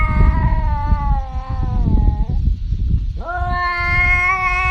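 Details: A domestic cat gives a falling meow that trails off, then after a short gap a sharply rising, sustained meow, over heavy low rumbling background noise.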